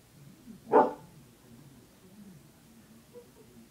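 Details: A female dog stuck up on a chair indoors, barking for someone to help her get down; one short, sharp bark near the start, then quiet room noise with a faint soft sound near the end.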